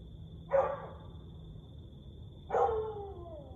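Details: Siberian Husky at night, 1:49 am on 30 May 2021: one short, sharp bark, then two seconds later a longer call that slides downward like the start of a howl, over a steady low rumble and a faint high hum.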